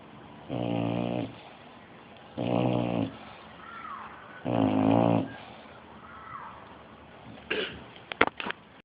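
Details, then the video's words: Bulldog asleep and snoring: three loud, buzzy, rattling snores about two seconds apart, softer wheezy breaths between, then a few sharp clicks near the end. "The Snoring Bulldog"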